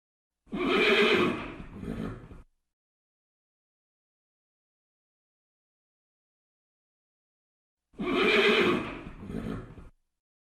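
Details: Red horse whinnying: a loud, shaky, descending neigh of about two seconds, then silence, then a second near-identical whinny with a trailing snort-like tail; no other sounds.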